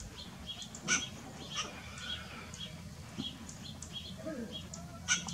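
A western gray squirrel gives sharp, harsh barks several seconds apart among faint chirps.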